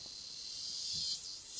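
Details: Cicada, known in Brazil as cigarra, on a rural property in Brazil where many gather from December to the end of February; a loud, steady, high-pitched buzzing drone runs unbroken throughout, swelling slightly toward the end.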